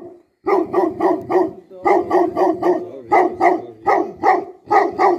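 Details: Tibetan Mastiff, known locally as Bhote Kukur, a guardian dog in Nepal, barking in loud deep repeated bursts, about one bark each second, in short series separated by brief pauses.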